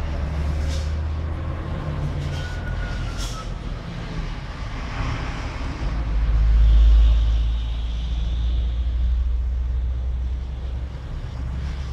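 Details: Outdoor street rumble with a passing engine swelling near the middle, with no clear animal call.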